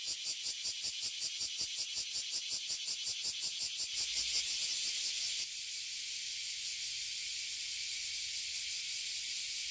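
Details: Tree full of Oily Cicada and Bear Cicada, Abura Zemi and Kuma Zemi, in Toyohashi City, Japan, ear-damaging when out each year. Rapid rhythmic pulses about three per second throb within the high buzz, then give way to an unbroken shrill drone.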